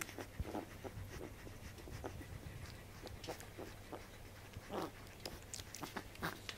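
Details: Newborn corgi puppies nursing on mother's milk, 15 June 2013, indoors: soft breathy panting and moist sucking clicks scattered irregularly, with a louder smacking burst near the end and a faint constant low hum beneath.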